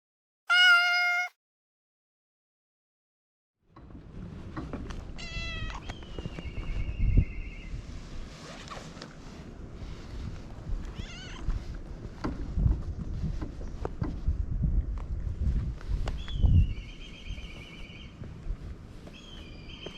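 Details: Domestic cat in Japan crying "nyaa nyaa" while wanting to play: one short, loud, harmonic meow at the start, then silence, then rustling and handling noise with high, wavering whistled calls of a black kite in the background.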